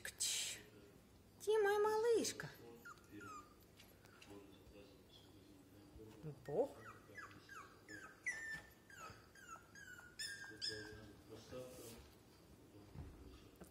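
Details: A small female Pomeranian gives a high, wavering whine, then a quick upward squeal and a string of brief, descending whimpers, while a person speaks softly to her indoors.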